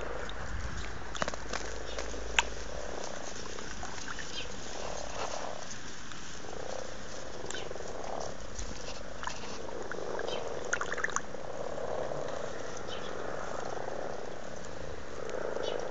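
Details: Frogs in courtship mood in a garden pond at Blarney, Cork, Ireland, in February 2012; a continuous chorus of soft, low purring croaks swelling and fading, with scattered faint clicks and knocks over a constant hiss.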